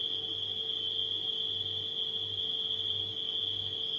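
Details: A steady, shrill drone of nighttime crickets runs without pause at one high pitch, accompanied by the deep, gently pulsing hum of a running refrigerator.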